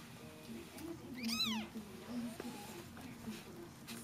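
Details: Two-day-old Snow Bengal kittens lie in a cosy, warm den while their mother is briefly away. One short, high squeal rises and then falls, with faint softer squeaks after it over a steady low hum.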